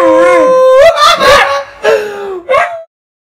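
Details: East European Shepherd dog singing along with its owner, giving loud wavering howls: a long sustained tone, a brief yelping break, then two shorter sliding howls, the last rising sharply before stopping, with no other sounds.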